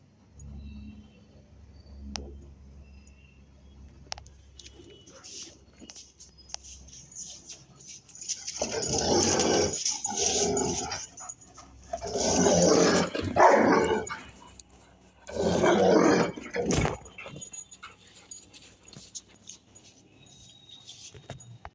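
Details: Rottweiler named Rajia acting as a guard dog, giving bursts of loud, harsh barking in three main clusters around the middle and end, with quieter background noise between.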